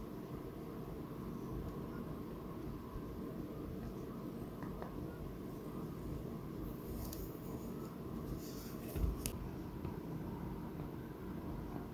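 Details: Quiet indoor room tone with a low rumble and a few faint scrapes and clicks, and no animal voice.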